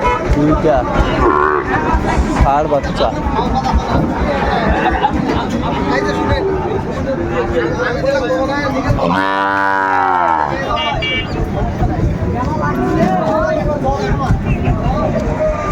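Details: Cattle at Ambari livestock market in Dinajpur on 27 May 2024, where Sahiwal breed bull calves are being sold; one deep, drawn-out moo of about a second rises out of steady crowd chatter and bargaining voices.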